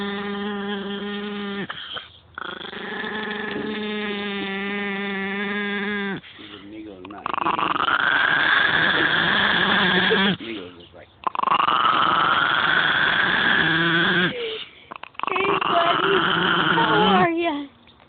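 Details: Pet dog Migos makes odd sustained noises: a steady, even-pitched harmonic moan for several seconds, then three long, louder, wavering howl-like cries separated by short pauses. A person's voice is faint.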